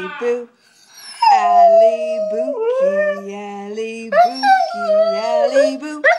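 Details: Female Siberian Husky howling with her owner, who sings her name over and over. A steady low human voice holds notes beneath the dog's higher, gliding howls, which rise sharply twice.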